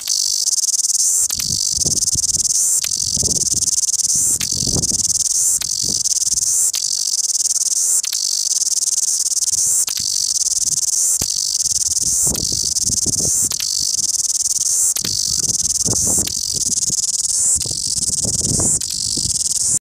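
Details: A cicada in Wellington sings a loud, continuous high buzzing trill with pulsing accents throughout.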